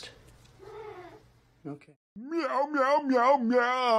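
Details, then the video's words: Domestic cat 'talking' in a funny pet compilation: a soft, short mew, a brief pause, then a long, loud, wavering yowl with a warbling, sliding pitch that holds steady to the end. Faint low hum beneath. "talking cats"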